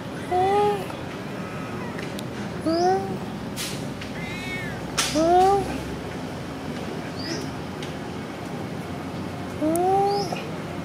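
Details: Happy, friendly cat Sona after food, meowing four times with short arched, rising meows spaced a few seconds apart; faint high chirps and light clatter in the background.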